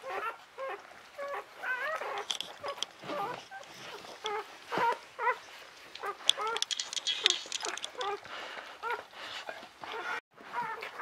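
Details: Newborn Czechoslovakian Wolfdog puppies of Orizon and Rahan, born 21 November 2020 at a breeding kennel, a litter of five females. Short, high squeaky whimpers come in quick bursts, with human voices and handling noise around them.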